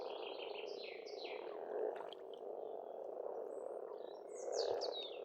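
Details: Frogs croaking together at an Estonian pond in spring, their calls blending into a constant droning murmur, with short descending bird phrases at the start and end.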